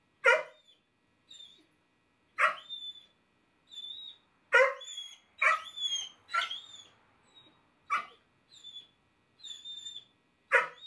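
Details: Stinky the Basset Hound, a pet dog wearing a no-bark collar, gives short sharp barks about every two seconds, with thin high whistled whines between them.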